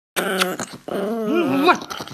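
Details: Angry dog vocalizing indoors: a tonal, harmonic growling whine in two bursts, the second bending up and down in pitch before stopping abruptly.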